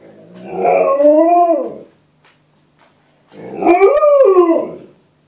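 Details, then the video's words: A male Alaskan Malamute gives two drawn-out, wavering howls, each rising then sliding back down, howling along to a playback of a video of his own howling. "Alaskan Malamute Howls to Himself! Double Trouble Malamutes"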